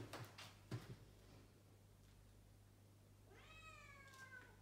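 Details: Pet cat in Japan meowing at 6 am, first thing in the morning, having learned that a toilet flush upstairs means the family is awake; quiet knocks early, then one clear, drawn-out meow that rises and falls near the end.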